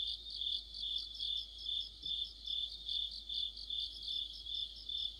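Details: Mid-autumn chorus of crickets and other insects near a streetlight, a piercing high trill rising and falling in even pulses roughly twice per second, over a faint steady low hum.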